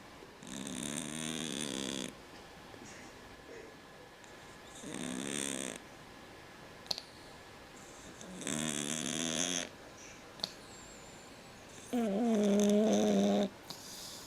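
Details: Snoring from a sleeping cat: four raspy, wavering breaths about three seconds apart, the final one louder with a clear droning tone, small clicks between.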